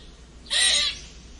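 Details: Squirrel giving a strange squeaking sound: a single high, thin squeak held steady for about half a second, then fading, over a faint background hiss.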